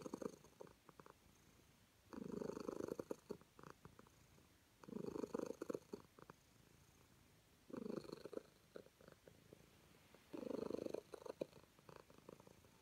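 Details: Happy calico cat being petted purrs in steady cycles: five throaty rumbling pulses roughly every two and a half to three seconds, with soft clicks scattered through the pauses.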